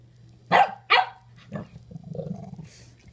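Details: Teddy the French Bulldog and puppy Frenchie Bill playing together for the first time through a kennel: two sharp loud barks close together, then a shorter bark and a low grumbling growl-like vocalization.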